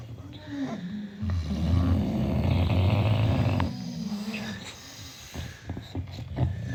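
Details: Six sleeping British Bulldogs snore together, low rumbling breaths swelling into a long droning snore over several seconds, then fading into softer, broken snuffles and short wheezy clicks.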